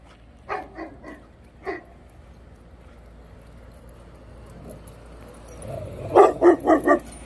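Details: Cane Corso guarding and protecting his home barks: four deep, full barks early on, a quiet pause, then a louder run of four rapid barks near the end.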